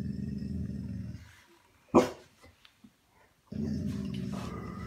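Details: American Bully puppy, eight months old, ripping apart a teddy bear birthday present indoors: a sustained low, rumbling growl, then a sharp loud bark-like burst and a brief pause before the deep growling resumes.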